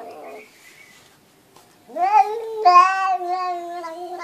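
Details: Domestic cat said to talk like a human, after a brief quiet murmur giving a rising, drawn-out meow that swells into a long, steady, speech-like vowel lasting over two seconds.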